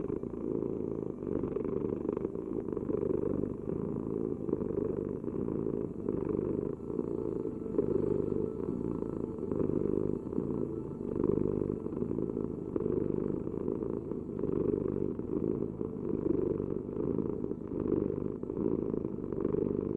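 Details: A cat purrs close by, a rich low rumble pulsing in regular breath-length waves, loud and unbroken over the whole stretch, with no other noises.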